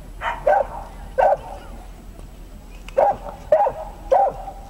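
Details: Dachshund during an agility trial at the Römercup, Trier, 2012, barking in short, punchy yaps: two quick barks, a pause, then three more in fairly close succession, over low background hubbub.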